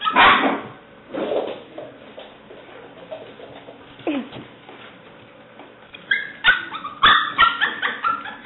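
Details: Alice, a seven-week-old black and white tri-color female English Springer Spaniel puppy, recorded 5/17/09, gives a couple of loud barks, then quieter scattered yips and a sudden burst of high, sharp yelps near the end.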